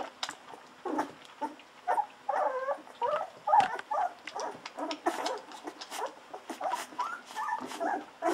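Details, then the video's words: Two-week-old Golden Retriever puppies drinking bottle milk, hungry and eager: rapid wavering squeals and grunts, several per second, mixed with wet sucking and clicking noises. "Hungry Babies drinking wildly Milk"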